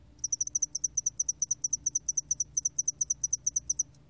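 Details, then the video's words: Spotted-wing hairy cricket in a 2020 National Institute of Biological Resources recording, chirping steadily: an unbroken stream of nearly thirty sharp, high-pitched pulses over several seconds, evenly paced, with only a soft low hum beneath. "점날개털귀뚜라미, 여러번 듣기, 곤충소리"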